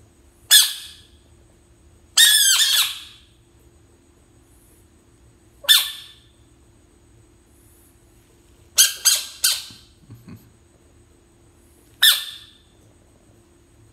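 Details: A bullfrog reacting to a person's finger gives harsh, squawking bursts, loud and brief, at irregular intervals.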